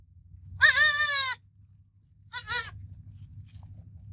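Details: Young goat kid giving one long wavering bleat followed by a shorter second cry about a second later, over a steady low background hum.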